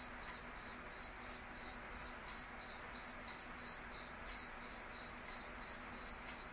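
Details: Nighttime insects give a high, ringing chirp in even pulses, about three each second, like a cricket's trill, over a faint low hum.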